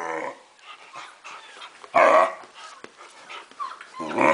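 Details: Four-month-old German Shepherd reacting to recorded puppy noises: rough growly whining and moaning throughout, broken by two loud, abrupt barks, one midway and another at the very end.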